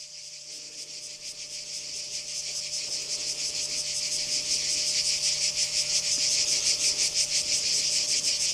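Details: Cicadas in Kardamyli, 2013: a dense, high, rasping buzz pulsing about three times a second, swelling gradually louder through the recording, with a faint steady hum underneath.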